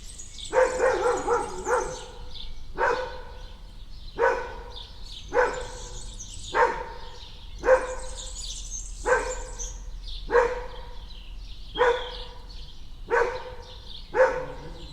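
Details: Dog barking in a garden: about a dozen gruff single barks, spaced roughly every one to one and a half seconds at a steady pace, with faint bird chirps in the background.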